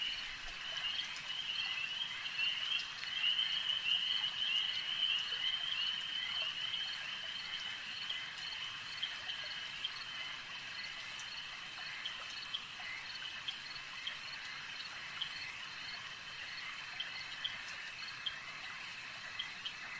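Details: Frog chorus at a lake: a loud, rapid pulsing trill dominates the first seven seconds, then fades back into a softer, steady high trilling from many distant callers with occasional clicks.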